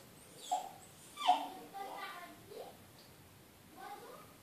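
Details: Smooth Fox Terrier named Ishot crying because he hears children playing outside and wants to join them, whining to win sympathy. Several high, tonal whimpers with bright harmonics rise and fall over a few seconds, separated by short pauses.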